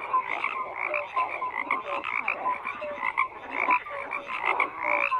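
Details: Frogs croaking in a dense chorus, overlapping short nasal croaks and brief tonal notes stacked in bands, pulsing irregularly with many callers at once; no other sounds stand out.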